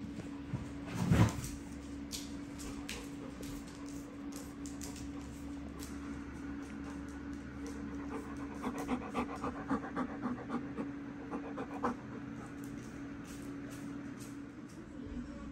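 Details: Excited dogs react on seeing the whelping box indoors: rapid rhythmic panting runs through much of the recording, with a sharp loud burst near the start and a low steady hum underneath.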